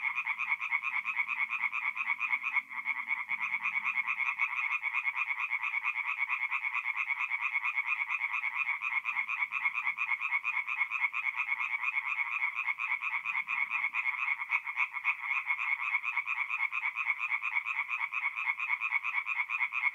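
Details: Night chorus of many tree frogs in a North-East Italian forest pond in April, a continuous rapid pulsing croak, roughly two pulses a second, unbroken for twenty seconds; faint low sounds briefly near the start.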